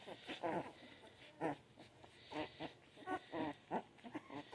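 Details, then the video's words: Puppies making soft, short whimpering squeaks, about one per second in uneven bursts, with faint background hiss. "baby dogs making cutest noises"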